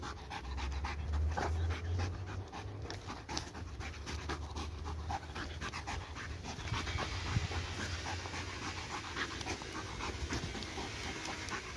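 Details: Hyperactive dog, restless for a week and unable to burn off its energy, panting hard and fast, several hissing breaths per second in a rough, uneven chain over low room hum.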